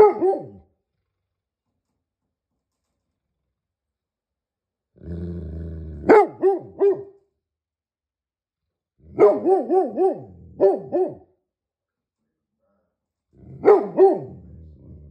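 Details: Great Pyrenees, a giant dog breed, barking deeply in bursts of two to four booming barks separated by several seconds of silence, with a low rumbling sound just before one burst.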